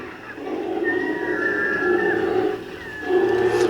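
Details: Two wild brown bears on the Katmai in Alaska arguing over a salmon, chasing across water and tide flat; continuous low, rough growling and moaning with drawn-out higher wavering tones, loud throughout and rising again near the end.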